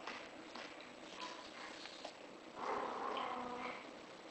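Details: A British Shorthair in heat lets out one sustained, wavering cry lasting about a second in the second half, preceded by soft rustling and faint background noise.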